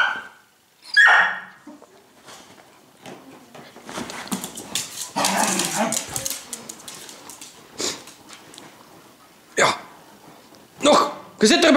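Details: Domestic dog giving a sharp, high bark near the start, then a longer harsh burst of barking and snarling, with quieter gaps, Dutch voices and faint music around it.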